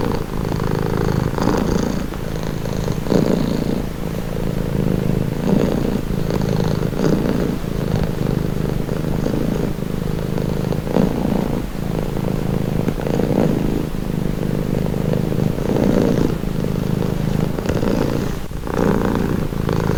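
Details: A cat purring steadily and loudly at close range, a deep rumbling throb pulsing in an even rhythm throughout, with faint breathy rustles and no other sounds.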